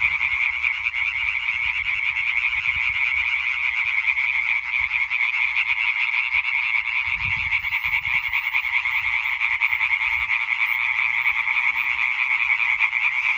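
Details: Massed European tree frogs in chorus, 20 May 2023, their quick, nasal, rattling calls overlapping into a constant shimmering buzz, a faint low rumble around the middle.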